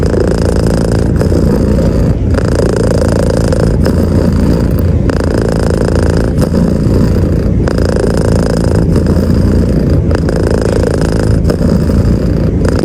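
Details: Cat petted under the covers in bed gives a long, loud purr, a deep steady rumble with about ten brief gaps spaced at even breathing intervals across the stretch.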